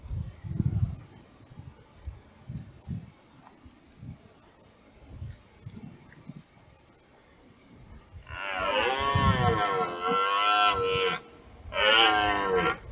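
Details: During the autumn rut, a red deer stag approaches across a meadow. Low rustles and faint thumps come first, then one long, throaty, wavering bellow lasting about three seconds, followed by a shorter roar.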